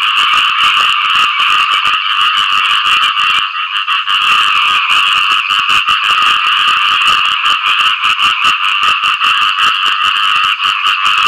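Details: A chorus of frogs calling for partners after rain: dense rasping croaks over rapid clicking pulses, about two and a half per second, with a short lull near the start.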